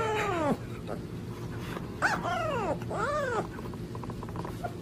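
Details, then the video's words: Puppy howling in short wavering bursts, three arched rising-and-falling tones in under four seconds over a low steady background hum. "Top 10 Cutest Puppies Howling Compilation"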